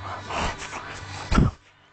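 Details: Butters, a French bulldog getting mad indoors, gives low rumbling grumbles and snorts, ending in a short louder burst before quiet; a voice speaks French in the background.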